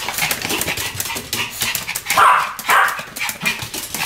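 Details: Pomeranians Sam and Marin in a duet of barks: two short, sharp yips close together mid-clip, set against steady rustling background noise.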